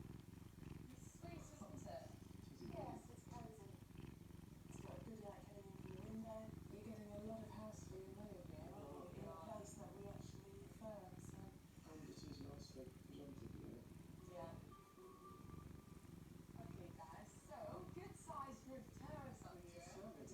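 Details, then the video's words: Domestic cat on a Saturday morning, purring with a constant rumbling pulse for the full length, while nearby voices chat about viewing houses. "The Kitty enjoying Saturday morning and purring"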